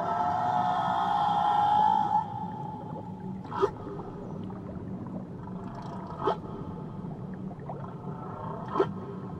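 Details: Whale singing in the waters of Tahiti: it opens with a sustained, rich tonal note that fades out after two seconds, then three sharp, rising upsweeps follow at intervals of about 2.5 seconds, set against a steady low wash of water.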